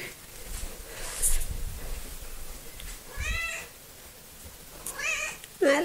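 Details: Coco, a small, talkative pet cat, meows in short harmonic calls around 3 and 5 seconds, the last one rising and bending, with a human voice mixed in and quiet indoor background noise.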